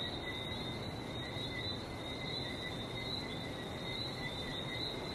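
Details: Frogs calling in Barbados: a dense, steady chorus of high, overlapping chirping notes that never pauses, laid over a constant low rush of sea surf.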